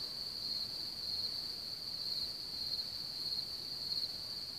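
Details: Large cricket population near Hamr by Chlum u Třeboně, Bohemia: many insects singing together, producing an unbroken shrill high trill with slight pulsing swells and no other clear sounds.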